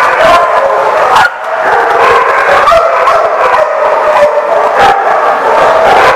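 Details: A crowd of dogs at The Barking Lot, 30 June 2014, keeps up a steady racket of overlapping barks, yips and whining howls. The noise barely pauses, with sharp bursts of barking breaking through every second or so.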